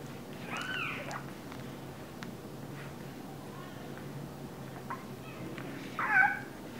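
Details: Two-week-old English Bulldog puppies give two thin, high squeals, each curling up and down, over a low steady hum.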